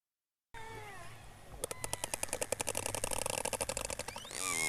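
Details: Killer whale calls, presented for orcas of the Northwest Atlantic and Gulf of St. Lawrence: tonal, swooping whistles used to communicate, followed by a rapid train of sharp echolocation clicks used for orientation.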